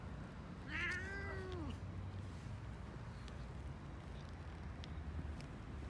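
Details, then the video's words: Hungry stray kitten on a street in Istanbul, Turkey, meowing for food: one clear, drawn-out meow that rises and then falls, lasting about a second, over steady low outdoor rumble. "Cute Kitten Hungry For Food"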